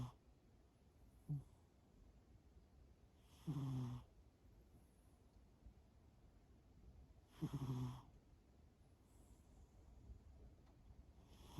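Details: Shimao, a cat, snoring in sleep: deep, rasping snores about every four seconds, each lasting around half a second, with softer breathy sounds between them against near silence.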